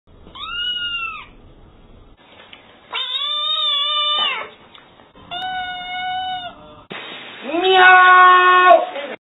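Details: A cat gives four clear, drawn-out meows. They are tonal and rich in harmonics, and each lasts about one to two seconds with short pauses between. The last meow is louder and more strained.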